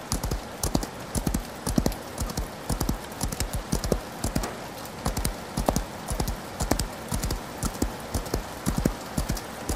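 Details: Galloping horse heard through rain, its heavy low hoof strikes landing in rolling bursts about once a second, with a steady patter and hiss of rain filling the background.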